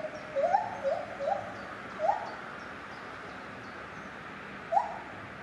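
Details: Lar gibbon at Safaripark Beekse Bergen, 9 July 2021, giving a string of short, quick upswept hoots, four close together, a pause, then one more, fairly soft against a faint hiss.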